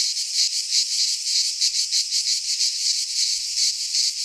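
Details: Cicadas singing in midsummer in a Greek pine forest: a dense, continuous high-pitched buzzing chorus with rapid pulsing swells, steady throughout, no other sounds.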